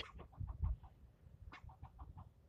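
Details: Squirrel yelling at a person for nearly ten minutes, scolding in rapid runs of short nasal barks near the same pitch, about seven a second, in two bursts with a pause between; low rumbling handling noise underneath.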